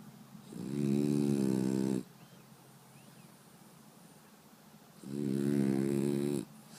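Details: French Bulldog named Brewski snoring loudly while asleep indoors: two long rasping, buzzy inhalations about four seconds apart, each lasting over a second, with quiet breathy pauses between.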